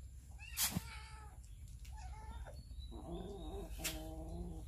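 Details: Hungry cats and kittens eating raw fish, filmed on a Samsung Galaxy S9 Plus. Two drawn-out wavering meows, the second lower and rougher, with sharp clicks and small bird chirps in the background.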